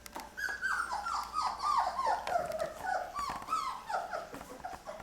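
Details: Several 23-day-old Lab puppies, Mocha's litter, feeding on puppy food for the first time; a steady run of falling whimpers, roughly four per second, over a soft room hum.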